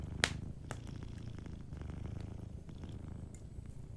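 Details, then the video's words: A sleeping cat purrs in a deep, even rumble next to a warm fireplace; a loud crackle opens the passage, followed by lighter ticking pops of burning wood. "Sleeping Cat 🐱💤Fireplace & Soft Purring"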